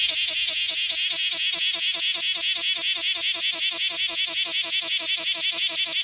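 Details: Cryptotympana facialis on Rokko Island Greenbelt producing a loud pulsed rattle, shrill bursts repeated about six times per second in an even, throbbing rhythm throughout.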